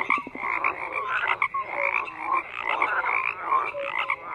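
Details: Crowded frog croaking opens with a quick run of rapid pulses, then settles into a continuous mesh of short croaks and thin rising notes from numerous callers.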